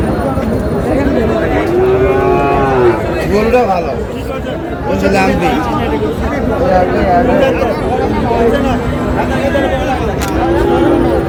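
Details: Sahiwal breed bull calves at a cattle market in Moulvibazar on 15 June. Several drawn-out, low, arching moos, with one around two seconds and another near the end, rise above constant crowd chatter and bargaining voices.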